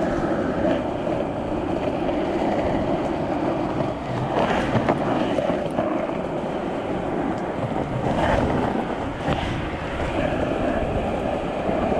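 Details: Outdoor wind buffeting and water or surf noise with a rumbling motor, no animal calls standing out.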